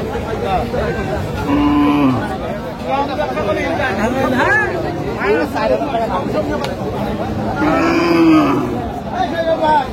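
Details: Cows with calves at the Aftabganj livestock market in Dinajpur, 22 April 2025: two drawn-out, steady moos, one near the start and one near the end, over constant bargaining chatter and crowd talk.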